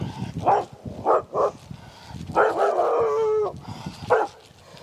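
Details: One-year-old female Australian Shepherd with fear-based aggression, barking with hackles raised on shoulders and rump, a sign of anxiety; scattered sharp barks then a drawn-out whining howl, and a final bark, with low voices and rustling underneath.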